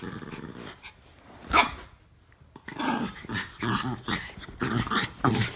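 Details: Norfolk Terriers Ernie and Hank wrestling in play, a near-daily habit; short growly bursts and a sharp yip near the start, then a run of rough, clustered growls and snarls toward the end.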